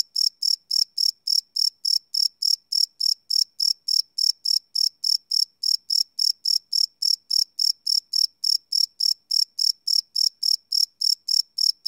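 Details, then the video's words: Crickets calling at night, recorded live with no loops on a Sony PCM D100 field recorder: an unbroken, fast, metronome-like train of high chirps lasting the whole stretch, with no other sounds present. "Cricket Chirp Sound - Cricket Sounds at Night"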